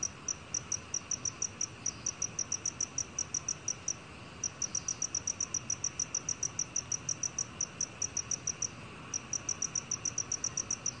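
A black cricket gives a steady run of clear, high-pitched chirps, each a short pure pulse.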